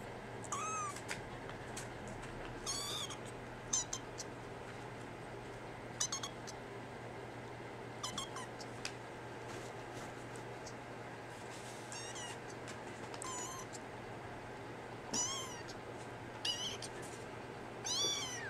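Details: Brown tabby and white female kitten in Japan, awaiting rehoming to Tokyo; several short, high, thin meows scattered through the recording, with a steady low hum and faint room noise.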